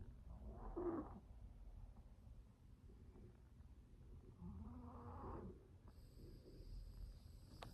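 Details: A sleeping dog snoring softly indoors: two slow, low, rasping breaths about four seconds apart over a faint background hum, and a thin high electronic tone near the end.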